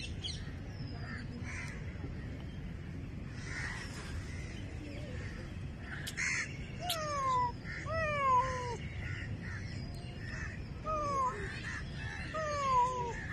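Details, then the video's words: Cat giving a run of short, downward-sliding mews, clustered in pairs and threes, against a noisy low-pitched background rumble. "Cat Voice (Meowing Meowing)"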